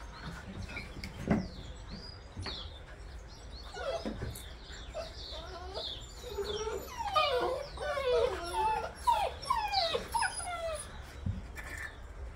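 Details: Newborn Bernese Mountain Dog puppies, September 2023: a litter of thin high squeaks and rising-falling whimpers, sparse at first then crowding together in a busy chorus midway, with soft rustling and low background rumble.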